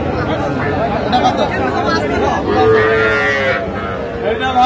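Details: Small Sahiwal calves being bought at Aftabganj market, Dinajpur district, on 7 July 2025; one sustained, slightly falling moo mid-clip, with steady crowd noise and men haggling over price.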